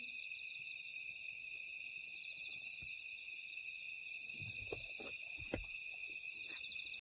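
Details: Summer-night chorus of grass insects beside a Woraksan mountain trail in Korea: dense, high-pitched, continuously pulsing trills swelling and fading gently every second or two. Soft crunching footsteps and handling noise sound near the end.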